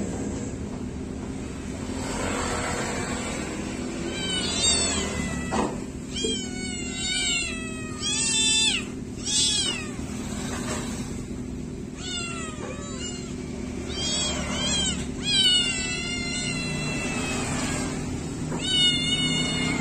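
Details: Several kittens meow after bath time, with frequent overlapping high meows, many wavering or falling in pitch. They come in bursts every second or two over a constant low background hum.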